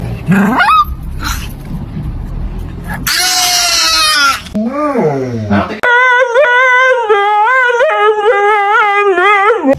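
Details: Pet dog making strange vocal sounds: short rising whines and a rough burst, then a long wavering, melodic howl-like crooning over several seconds, with a person's voice encouraging it nearby.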